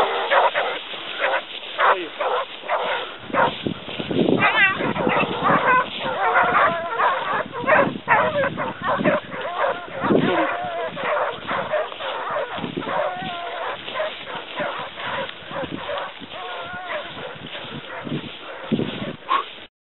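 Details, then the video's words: Pack of Basset Hounds from the Côtes de la Saunade on a hare, a chorus of many overlapping bays and yelping cries, some with wavering pitch, continuous and busy throughout, with faint voices in the mix. "Basset Hound sur lièvre"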